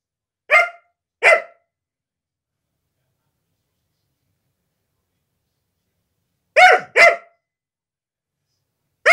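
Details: Female Siberian Husky indoors guarding her new carpet when someone comes close: two sharp barks, a long silence, then two more quick barks and the start of another, each bark bright and harmonic, with no other sounds.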